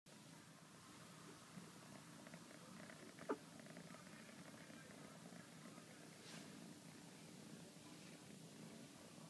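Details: Mila, an Exotic Shorthair kitten, purrs while wanting hugs and scratches, a steady low rumble running throughout with a brief click near the middle and faint handling noises indoors.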